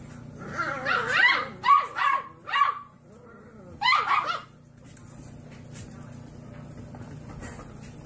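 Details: Puppies barking: a quick series of high yapping barks in two clusters, four close together then a double yap, followed by quieter whimpering sounds and a low background hum.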